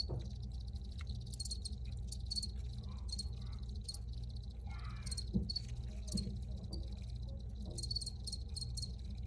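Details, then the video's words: Recorded crickets giving high, pulsed chirps in irregular bursts, with a steady low hum and a few faint scattered clicks and rustles underneath. "Free Cricket Sounds for Re-Use or Relaxation"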